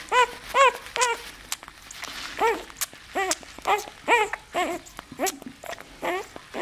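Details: Nine-day-old bull terrier puppy squealing in quick succession, about two high arched whines per second, each rising and dropping in pitch, with rustling and snuffling between calls.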